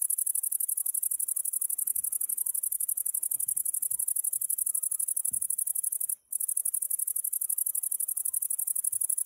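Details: Grasshopper singing with a continuous, very high-pitched hiss of rapid, even pulses about four per second, broken by one brief pause near the middle, with faint low thumps underneath.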